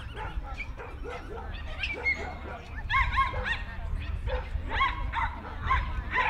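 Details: Jack Russell Terriers at the Jack Russell Terrier Club of NSW Speciality Show, Dogs NSW Showgrounds, Orchard Hills, 15 October 2015; sharp, high yapping barks in quick overlapping bursts from several dogs, over crowd chatter and a low hum.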